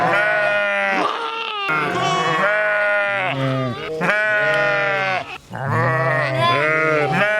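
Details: Continuous overlapping sheep bleats, several drawn-out quavering baas following one another almost without pause, deep and nasal with strong harmonics, one brief gap before the calling resumes.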